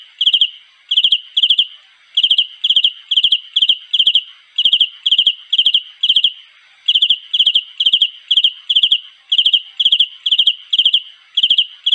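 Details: High, ringing chirps from a cricket calling for a mate, every chirp a quick cluster of three or four pulses, repeated steadily around twice each second through the whole stretch.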